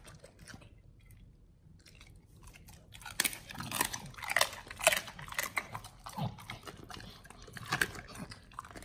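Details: Pit Bulls eating a raw-feeding meal of raw beef shank: quiet at first, then dense wet crunching, tearing and biting sounds with sharp cracks, irregular, several per second, in an indoor setting.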